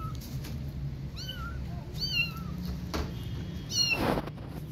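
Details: Motherless kittens, three in all, give a few clear, high, squeaky mews that curve down at the end, with soft thumps and a low background hum between the calls.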